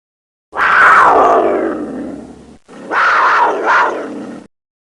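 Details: Cougar giving two harsh, raspy screams, the first long and sliding downward, the second shorter and wavering, both loud, breathy and strained with a short silence between.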